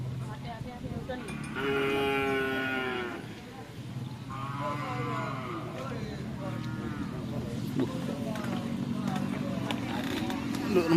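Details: Cattle at a karapan sapi (bull-race) training session at the Asemanis field in Pamekasan. Drawn-out, harmonic moos: one long call of about two seconds, then shorter ones, over steady crowd chatter and engine rumble.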